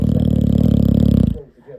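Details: Puppy asleep, giving one long, deep, rattling snore with a steady buzzy pulse for over a second before fading into quiet breathing.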